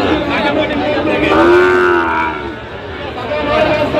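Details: Sahiwal bull calves at a busy cattle market in Gazipur, Bangladesh, on 27 October 2025; one drawn-out, slightly rising then falling moo lasting about a second, over steady crowd chatter and other distant lowing.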